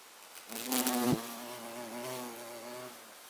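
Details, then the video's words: Violet carpenter bee (Xylocopa violacea), 24 September 2024: a steady low humming buzz with stacked harmonics, loud at first with a brief rustling burst, then holding level before fading near the end. "Abeille charpentière - Bourdon Xylocopa Violacea"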